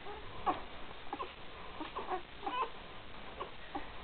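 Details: Three-day-old Great Dane puppies from the 2012 litter of Gracie and Newman give soft, high, squeaky whimpers, several short cries coming in quick succession over a faint background hiss.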